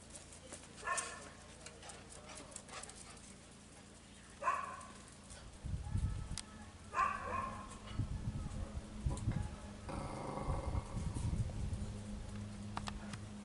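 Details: A pregnant female Italian Greyhound, 58 days into pregnancy and 5 days before her due date, gives brief, strained, nasal whimpers and whines several seconds apart over a steady low rumble and handling noise.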